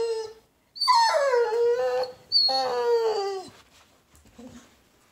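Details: Vizsla. A Vizsla gives drawn-out, high-pitched crying whines, each starting sharply and sliding down in pitch. Two long whimpers dominate, with a softer brief whine near the end.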